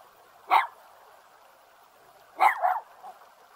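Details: One of two dogs standing guard at a house in the mountains near Jeonju, North Jeolla Province, Korea, gives a single sharp bark, then a quick double bark about two seconds later, against a quiet, steady background.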